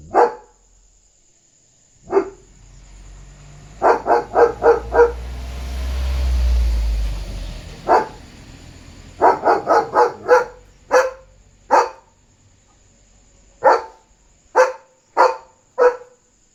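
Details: German Shepherd barking at night to protect his territory and warn of a dog outside; excited runs of rapid deep barks in bursts of three to five, a low rumbling noise midway, steady faint high hum.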